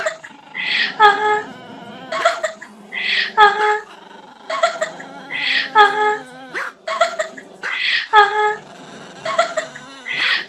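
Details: A dog from a compilation of funny barking dogs gives repeated yowling, whining calls. Each starts with a harsh, high burst and slides into a tonal wail, coming about every two to three seconds, in a small indoor room.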